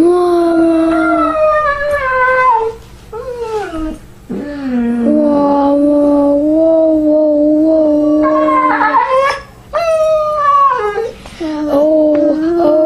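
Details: Samoan husky dog crying out for its mom inside a small room: a string of expressive, talking-style howls and yelps that bend sharply in pitch, some phrases drawn out, others clipped, with short breaks between them.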